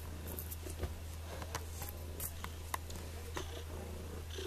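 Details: Purring from Sonny, a cat held at the Sullivan (MO) pound and up for adoption; continuous deep, even rumble beneath scattered small clicks and rustles in a small room.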